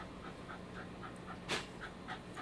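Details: Male office dog panting during a game of give-and-take with a ball: quick soft rasping breaths, about four a second, one louder burst midway, over a steady low indoor hum.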